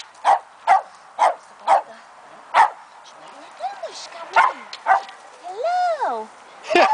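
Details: Two-month-old Fox Terrier puppy Keno yapping in a run of sharp high barks roughly every half second, broken by wavering whines and a rising-falling squeal before a final bark.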